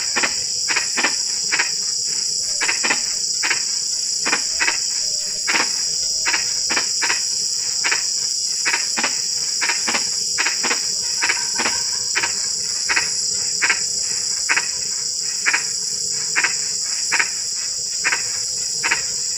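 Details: Frogs calling at night in drizzling rain: short, sharp clicking croaks repeated irregularly, sometimes in quick pairs, several callers overlapping, over a steady high, shrill cricket chorus.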